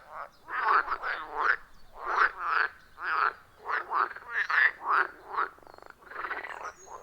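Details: Wild frogs at a quiet forest pond, recorded with iPhone 14 Pro plus Shure MV88+; short rasping croaks in rapid clusters, roughly two or three per second, separated by brief gaps.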